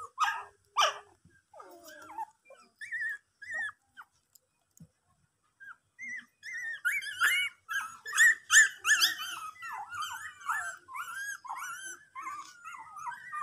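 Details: A pet dog gives a couple of short broadband barks, falls quiet, then breaks into a fast run of high, thin whimpers and yelps, several per second, each sliding up and down in pitch.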